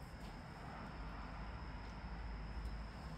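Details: Only a steady low rumble with broad hiss is heard, and no animal calls.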